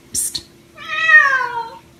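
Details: A short sharp hiss-like "psst" from a person, then an Egyptian Mau that has just caught a rat answers with a long meow, slowly sliding downward in pitch, over a low hum.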